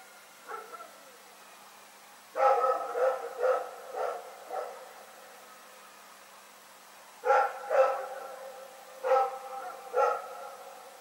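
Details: Night barking by Rex the dog, February 27, 2018: a faint yelp, then a burst of four or five barks, a pause, and two more pairs of barks.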